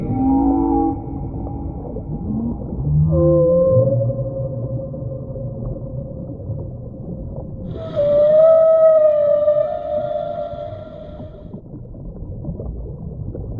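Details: Whale calls: long tonal moans, some low and rough near the start, then a clear steady tone around the eighth second with stacked harmonics that slowly falls away, over a constant underwater rumble.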